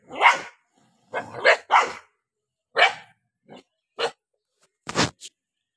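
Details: An angry dog barks while eating. The barks are loud and harsh and come in a quick irregular series of about seven, some doubled, with short pauses between them.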